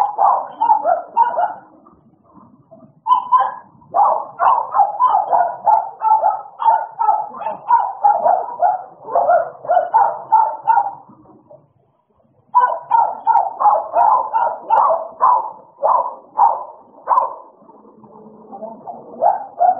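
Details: During play, American Bullies Idol and Alice bark in fast, irregular volleys, fall quiet briefly around the middle, then resume with quick barks and soft whimpering near the end.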